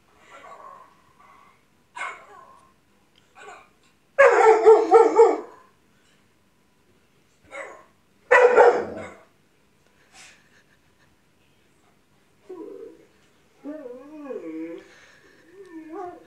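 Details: Dog reacting to dogs barking on TV, indoors: scattered short barks, two loud harsh bark bursts near four and eight seconds, then softer wavering, whining tones rising and falling toward the end, with quiet gaps between.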